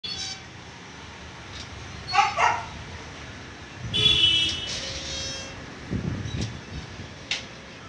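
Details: A male Siberian Husky kept for stud gives a few short, sharp vocal bursts, with a higher drawn-out note in between.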